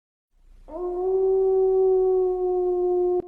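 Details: Siberian Husky giving one long, steady, even-pitched howl that starts abruptly, holds level for about two and a half seconds with a clear tonal ring, then cuts off sharply; quiet background.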